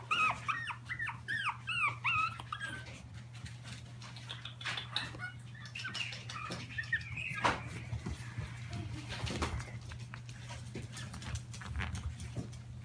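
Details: A Chihuahua puppy, shown with milk, makes a burst of short, thin, squeaky whimpers that rise and fall in the first few seconds. Sparser faint squeaks follow, over a steady low electrical hum and light handling noises.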